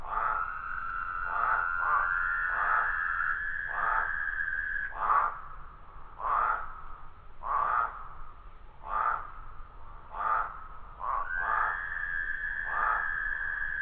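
Toads calling with steady mid-pitched trills, broken by shorter bursts repeating about every second.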